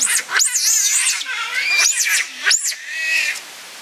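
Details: Giant otter family of six at Chestnut Centre, Chapel-en-le-Frith, with two cubs born there, filmed 25 June 2011; loud high squealing calls rising and falling in three bursts, with a voice talking nearby.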